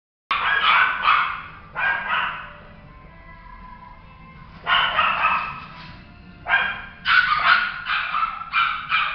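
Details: Male Toy Poodle barking in quick bursts of sharp, harmonic yaps, several barks per burst, with a quiet gap of a couple of seconds before renewed, faster bursts toward the end.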